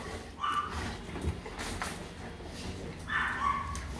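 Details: Rottweiler at the Gervi kennel in Vietnam welcomes its owner back after a three-day work trip with two brief, high whines about three seconds apart. People chat around them over rustling and a low background hum.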